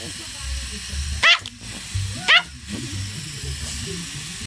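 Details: Chihuahua barking in reaction to helicopters: two sharp, high, harmonic barks about one second apart, with a softer third yip later, over a steady low rumble and hiss.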